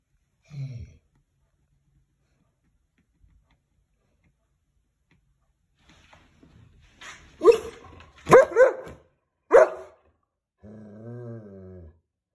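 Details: German Shepherd dog turning serious and barking as someone passes by: a soft low grunt, a quiet pause, then a burst of four loud, harsh barks, followed by a drawn-out moaning whine near the end.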